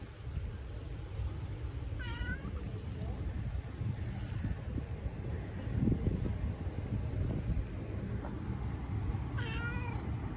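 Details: Tabby cat seeking love meows twice, far apart, with brief wavering falling cries, amid steady low rumble and faint human voices in the background.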